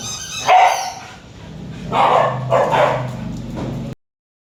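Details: Bruno, a Samoyed, indoors and shocked by the weird sounds his toy makes, gives a few short, deep woofing barks, then a drawn-out, wavering yelp, before a sudden silence.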